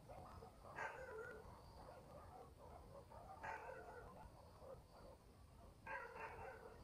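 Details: Night-time barking from dogs in a country village: three separate far-off barks spaced a few seconds apart, each a short rough burst, between stretches of faint yapping and a low steady hiss.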